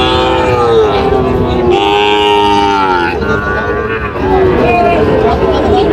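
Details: Bull calves of Sahiwal and Friesian breeds at a Munshiganj cattle market, Bangladesh, 24 July 2025: several overlapping bleating moos, wavering and repeated, amid loud crowd talk.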